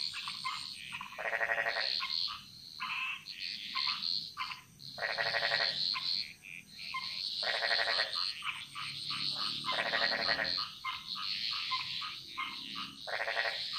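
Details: Frog chorus in a Bali jungle: dense overlapping croaks, with loud pulsed rattling bursts every few seconds among many higher, shorter calls, and a steady high insect-like hiss throughout.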